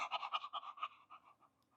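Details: A one-year-old male English Bulldog stud sits on a couch during a breathing test and pants steadily at rest, quick, clean, even breathy pulses about five or six a second, fading at the end, with no rasping or catching.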